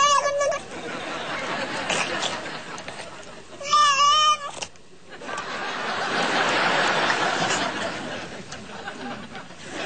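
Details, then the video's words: An odd cat with an almost human-sounding meow gives a brief meow near the start, then a single loud, quavering, warbling meow midway, surrounded by human chatter and laughter. "Stoned Cat"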